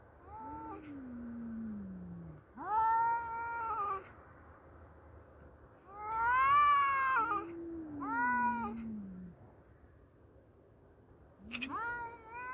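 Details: Battle of two male cats: repeated exchanges of low, drawn-out descending growling moans answered by loud, rich, wavering yowls, with pauses between bouts and a final rising howl at the end.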